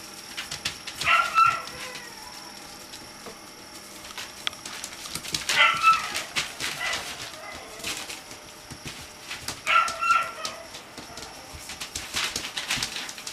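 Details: Chocolate Cocker Spaniel puppies greeting a new friend give three short, high squeaky yips roughly four seconds apart, with scratching, tapping and rustling between them.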